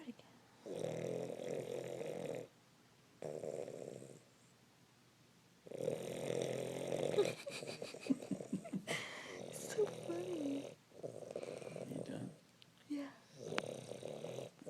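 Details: A dog called Mac snoring in its sleep: long, buzzy rasps with silent gaps. In the later part, human speech, movement noises and a few sharp sounds break in among the snores.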